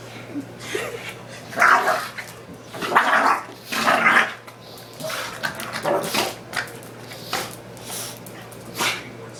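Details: Play fight between two pet dogs, a beige pug and a brown mixed-breed youngster, boxing each other: repeated harsh growling bursts and snorts with scuffling, irregularly spaced, over a constant low background hum.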